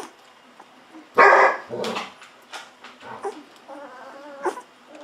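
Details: Hungry fourteen-day-old Golden Retriever puppies being bottle-fed milk; one loud, harsh squeal bursts out, then softer wavering whines and gulping noises follow.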